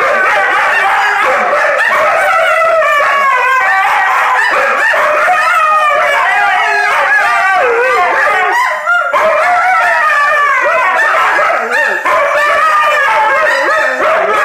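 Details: Indigenous Labrador Husky guarding a box of Tim Hortons cinnamon Timbits, making a continuous stream of howl-like, talking yowls with wavering pitch that rises and falls. A brief break comes near nine seconds before the vocalizing resumes.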